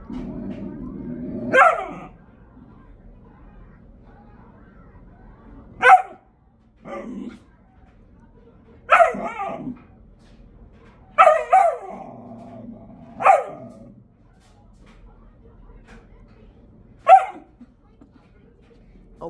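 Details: Pet dog barking at his toy box indoors: single sharp barks spaced several seconds apart, six or seven in all, some doubled, with quiet room noise between and a person speaking briefly at the start.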